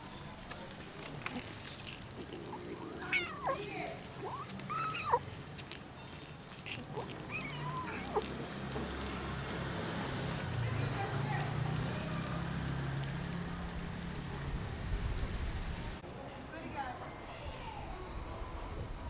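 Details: Abandoned kitten left for two days in -11°C snow, then rescued, gives several short arched meows in the first eight seconds over steady low rumbling background noise, then quieter stretches with faint handling sounds.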